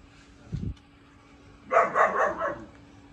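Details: A 4-month-old German Shepherd puppy gives a quick run of three high, harmonic puppy barks.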